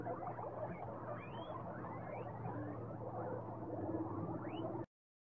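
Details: Guinea pigs keeping up a busy stream of short chirps and chattering squeaks, with several rising whistled squeals sweeping sharply upward, the strongest one near the end, before the sound stops abruptly.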